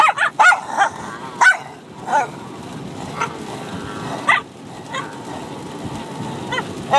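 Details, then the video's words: A Bichon Frise puppy of six months and an adult dog play-fight, trading scattered yips and barks over steady background hum, with a few whiny, squeaky notes and gaps of near quiet. "Bichon Frise Puppy & Dog Barking at each other Crazy for over 5 minutes"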